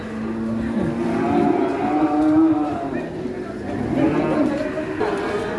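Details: Large-horned cattle at the Ngawi market in Indonesia, just after one nearly charged a person: low, strained mooing in two swelling bursts, mixed with people's voices and market noise.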